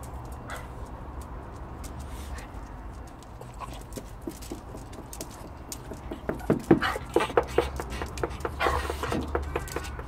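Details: Pet Chihuahua named Frank, making this noise for three days on end: quiet at first, then a rapid run of short whimpering yelps roughly every second or so in the latter half, with a person's voice and household noise around.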